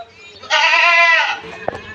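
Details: A castrated male goat on a farm, one of three 14–15-month-old bucks sold for Bakri Eid, gives a single loud, drawn-out nasal bleat lasting under a second, followed by a faint click.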